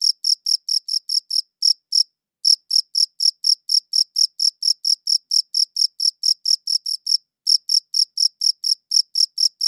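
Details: Cricket chirping in quick high-pitched bursts about four per second, interrupted by two short silent gaps, one near two seconds and another near seven; no other sounds.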